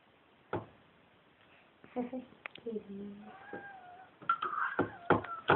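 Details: Bengal kitten playing with water in its bowl, giving several short meows with rising and falling tones around the middle of the clip, mixed with knocks and splashes; a person talks at the start.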